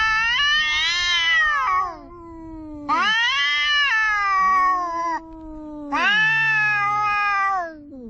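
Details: Orange cat and another cat quarrelling on the seashore: three loud, wavering high wails spaced roughly three seconds apart, each sliding down into a drawn-out low moan.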